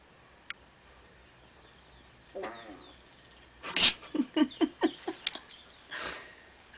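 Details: Cats fighting indoors, one attacking the camera: a short rippling growl, then a rapid burst of about eight sharp hissing, spitting yowls in quick succession, ending in a breathy hiss.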